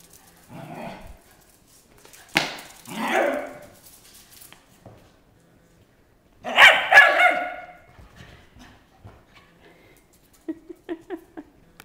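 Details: Playful house dog Molly barking while running around indoors; a soft woof, two harmonic barks, a longer loud whining bark in the middle, then a short run of quick light yips.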